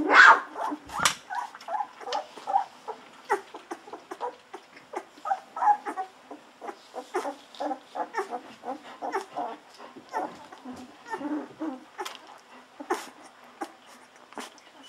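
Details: Hungry 14-day-old Golden Retriever puppies drinking milk from a bottle: a steady stream of short squeaky grunts, squeals and snuffles, several per second, with a few sharper cries, in a quiet room.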